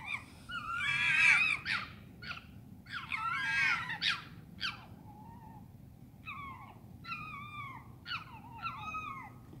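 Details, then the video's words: Foxes screaming at night in London: loud raspy, warbling screams early on, then shorter yelping calls with falling tones in quick pairs and triplets, faint steady hum beneath. "Foxes scream at night in London"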